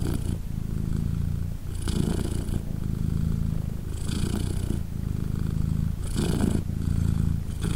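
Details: Deep rhythmic purring from British Shorthair mother Polina as her three newborn kittens, aged three days, nurse and are hugged; the low rumble rises in breathy pulses about every two seconds with no other sounds.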